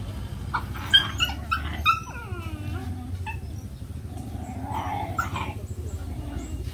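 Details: A few short high squeaks and thin whimpering cries from puppies playing, the first two seconds busiest, followed by a faint drawn-out whine against a low rumbling background.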